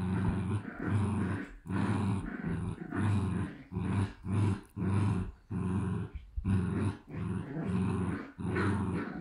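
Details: Shiba Inu puppies, two of them, from a Dutch breeder, rumbling like motors: deep throaty growls in roughly one-second pulses with short pauses, repeating evenly.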